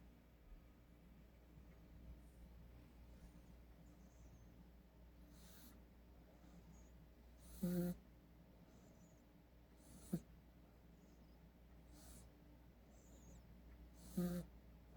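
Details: A sleeping cat snores softly with low, rasping breaths every few seconds over a quiet hum, recorded 5 January 2020.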